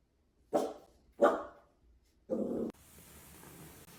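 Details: A Dachshund barks twice in short sharp yelps, then gives a longer harsher bark. A hiss of background noise follows.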